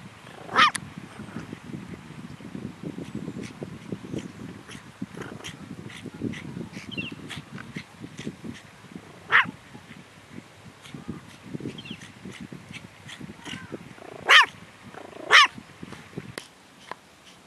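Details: Eve, a pet long-haired toy Chihuahua, on guard duty at home: a few sharp, high yips stand out over a low rumbling, busy background, with scattered clicks and soft noises between the barks.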